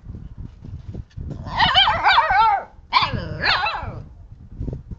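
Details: Two Siberian husky puppies, a brother and sister, playing with a hand: two bursts of high, wavering yips and whiny barks, each lasting about a second, over low thumping handling noise.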